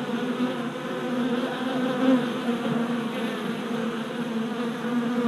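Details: Worker honey bees making orientation flights at a new deep hive four days after a package was installed, 27 April 2017, recorded on a GoPro Hero Session 5. A dense, steady, low droning hum of many wings, unbroken throughout with slight swells.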